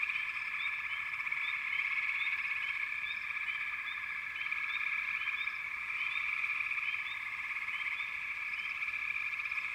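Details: Many frogs calling together in a backwater, forming an unbroken shrill, buzzing wall of sound; quick upward-sweeping chirps repeat irregularly over the drone.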